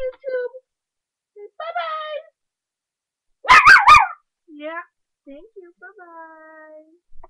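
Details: Playful 3½-month-old puppy barking up a storm at play indoors: one loud, sharp burst of rapid high yaps mid-clip, surrounded by whiny, tonal rising and falling vocal sounds and a person speaking softly.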